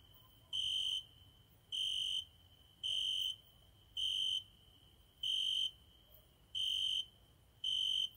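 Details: A cricket singing every night at a window gives a high, pure, ringing chirp about half a second long, repeated at an even pace a little over once a second, over a faint, steady hum.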